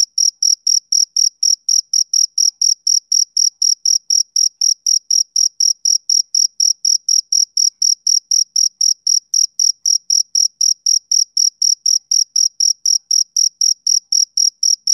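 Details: A male cricket keeps up a fast, regular train of shrill chirps, about four each second and some sixty in all, over a silent background.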